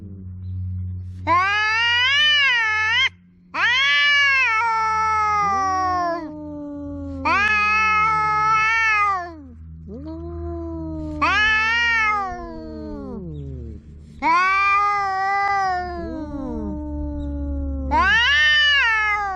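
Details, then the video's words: A cat making a big noise with a series of six long, loud meows, each rising then sagging in pitch, spaced a few seconds apart, over a constant low background hum. "The cat is making a big noise"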